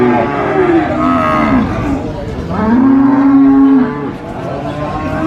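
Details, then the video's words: Qurban cattle at a market lowing: a short moo falling in pitch, then a long steady moo around the middle, with chatter in the background. "SUARA SAPI COW SOUND EFFECT MOOOOO"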